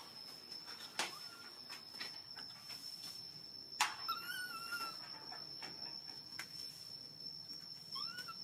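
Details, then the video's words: Hungry baby monkey crying for milk; a few thin, arched whining cries rise and fall, with one drawn-out wavering cry near the middle and another at the end, over clicks, rustling and a steady high electronic tone. "Baby monkey hungry milk crying so loudly to ask milk."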